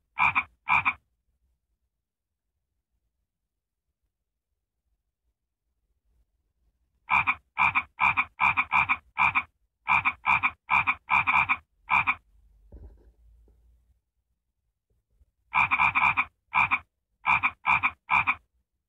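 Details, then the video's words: Frog giving loud, rasping pulsed croaks in quick runs of several notes, with pauses of a few seconds between runs against a silent background; a short low murmur is heard in one gap. "Annoying frog sound??"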